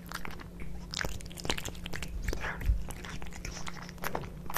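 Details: Kitkat and Leo, pet cats, feed on wet tuna cat food, giving busy uneven smacking bites and chewing, roughly two to three per second, with a faint low background hum.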